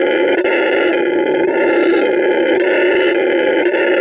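A lutung gives a steady, rasping, roar-like call that holds without a break.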